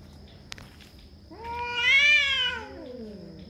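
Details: Cat, described as territorial; one drawn-out yowl that rises, holds, then slides downward over about two seconds, rich in harmonics, after a sharp click, with a steady faint background tone.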